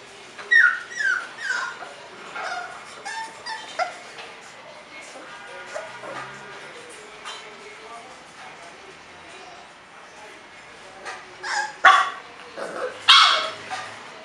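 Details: Bulldog puppies at a kennel in Florida, whining in bursts: high, sliding whimpers crowd the first four seconds, quieter stretches follow, then sharper yelping whines return near the end over a faint steady background.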